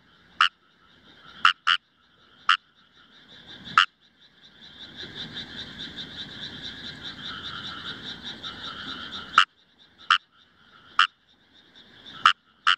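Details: Indian rice frog calls from Himeji in Hyogo Prefecture, Japan, 1 July 2018, compact camera recording: sharp single and doubled croaks about once a second, broken by a five-second burst of buzzy, rapidly pulsed chorus before the croaks resume.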